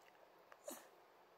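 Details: A Shiba Inu gives one brief, soft, breathy woof in reply to its owner asking whether it wants to eat.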